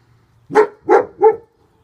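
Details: German Shepherd male, back leg bandaged, on protective duty, giving three rapid barks in quick succession, each strong and deep, evenly spaced, in quiet surroundings.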